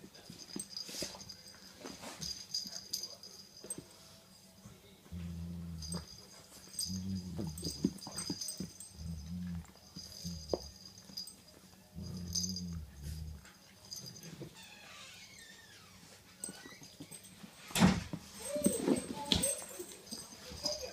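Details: A 20-month-old Rottweiler and a 12-week-old Boston Terrier playing together at home: a run of low, pulsing growl-grunts in bursts, then higher whimpery squeals near the end, with rustling, thumps, and a person speaking.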